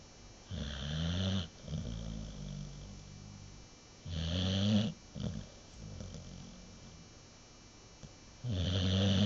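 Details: Deeply sleeping American Bulldog snoring in a quiet room: low, rasping, throaty snores roughly every four seconds, each followed by a softer, fluttering exhale.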